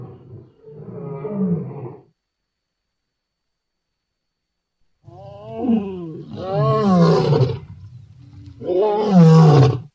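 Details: Lion roaring: a short low rumble, a pause of about three seconds, then a series of loud harmonic roars that fall in pitch and grow stronger toward the end. No other sounds are heard.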